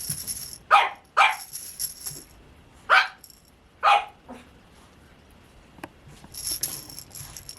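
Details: White and cream Pomeranian puppies at a breeder, giving four sharp, high yapping barks in two pairs about a second apart, with a faint high hiss and light clatter in the background.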